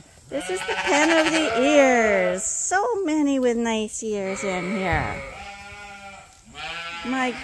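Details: Rams on a large registered Suffolk and Poll Dorset sheep farm, voiced as harmonic wavering bleats, several overlapping calls of varying pitch across the span, with a person talking nearby.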